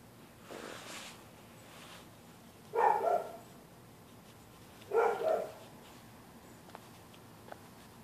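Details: Neighbors' dogs barking at night at anybody using the public sidewalk on either side of the street: two short, rough barks about two seconds apart, fainter muffled sounds before them, and a few faint clicks after.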